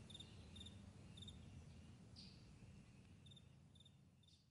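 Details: A few crisp cricket chirps on a morning meadow, short pulsed bursts early on, then a pause before a couple more, with a soft low rumble fading gradually.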